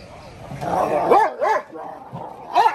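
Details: Dogo Argentino in a yard, letting out arching, yelping barks that rise and fall in pitch, three in close succession over a low background hum.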